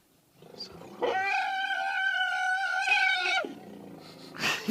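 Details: Wild African elephant in a family group, staring toward nearby wild dogs and calling out loudly: a strident, sustained trumpeting blast rich in harmonics lasting about two and a half seconds, with quieter rumbling before and after.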